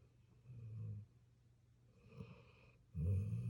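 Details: Sleeping puppy snoring: two low, rumbling breaths, a soft one early and a louder, rougher one at the end, separated by quiet, with a faint steady low hum beneath.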